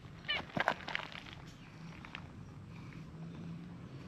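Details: Stray cats in a park: an affectionate brown-and-white cat at play while a plump brown tabby draws near. A few short meows come in the first second, then only a low steady outdoor hum.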